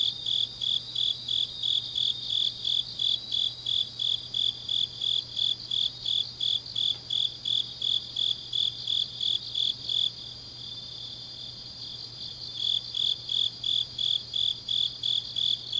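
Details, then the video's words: Night chorus of autumn grass insects in Changnyeong, South Korea: rhythmic high-pitched chirps about three per second, briefly pausing near the ten-second mark before resuming, over a continuous shrill trill and faint low hum. "깊은밤 가을 풀벌레 소리"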